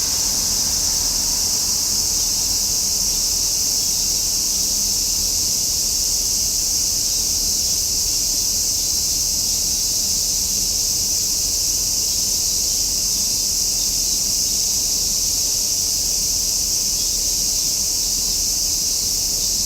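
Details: Cicadas singing in summer: a dense, shrill, high-pitched buzzing drone that holds steady and unbroken for the whole stretch, with no pauses or pulses and no other clear sounds.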